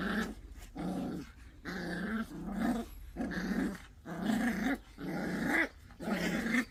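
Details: Pungsan dog puppies in a fight over rank, letting out rough, throaty growls in bursts of about a second, separated by short pauses, roughly once a second with an uneven rhythm.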